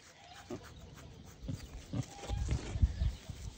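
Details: Wild boar from a pair of young, affectionate, human-raised animals; soft low grunts begin sparsely, then build into a denser run of deeper, louder snorting grunts toward the end, with a faint whistled tone in the background.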